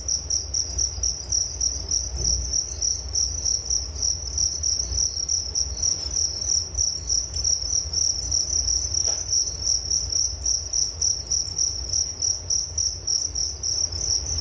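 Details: Nature sound of crickets for sleep: an unbroken high, rapidly pulsed chirping with a faint upper overtone, a soft low hum underneath and an occasional faint click.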